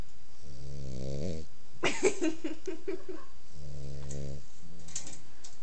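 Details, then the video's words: Female pit bull puppy asleep indoors, snoring in long, even, reedy rasps with stacked buzzy overtones, one near the start and another about three seconds later, with a brief crackly voice-like sound between them and a faint third breath at the end. "Pitbull Puppy Snoring"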